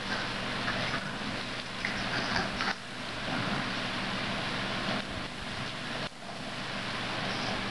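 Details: Loud, steady wind-like rushing noise resembling a passing vehicle, broken by a few short dips; no animal calls.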